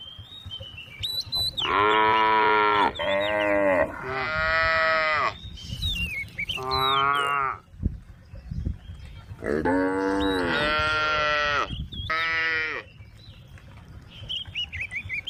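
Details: Cattle standing tame on a road, calling to their friends: a run of overlapping, deep harmonic moos in two bursts, some rising at the start, with bird chirps in the pauses.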